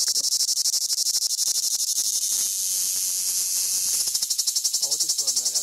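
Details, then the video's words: Large cicadas on Crimean pistachio trees at Fiolent, on Crimea's Black Sea coast, give a loud, high, hissing buzz that pulses rapidly, runs steady, then pulses again; the audio was possibly slowed down. "Цикада на крымской фисташке"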